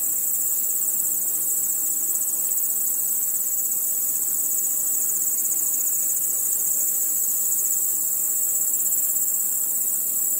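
Crickets chirp at night in a steady, very high-pitched, finely pulsed trill that never pauses.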